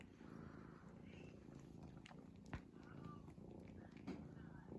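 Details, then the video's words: A cat asleep, snoring in a continuous low grumbling drone with gentle breath pulses, plus a couple of brief sharp taps and faint high whines. "cat snoring"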